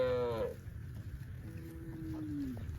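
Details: Cows grazing peacefully in rice fields, with breeze and natural sounds in the countryside; a short harmonic moo cuts off after half a second, followed later by a softer, lower drawn-out tone over a steady low rumble.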